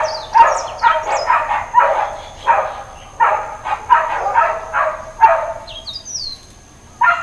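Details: Dog barking repeatedly in Hawaiian Paradise Park, Hawaii, on September 2, 2024, Labor Day: rough, harsh barks about twice a second in uneven runs. Thin, rising bird chirps sound briefly in the background.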